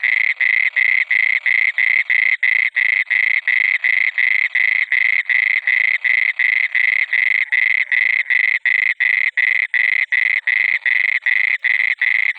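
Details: A frog at night in water gives a fast, steady run of short, rasping croaks, several each second.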